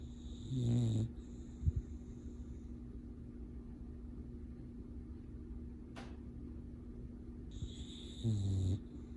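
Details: A sleeping male English Bulldog, deep in his dreams, snores in deep, rattling breaths with a long pause between them.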